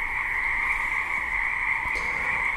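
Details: A dense Pacific western frog chorus, a steady, high, buzzing trill with no breaks, at 9:10 pm on Haida Gwaii's east coast, British Columbia, in the late-winter-to-spring breeding season; they began singing about 30 minutes earlier.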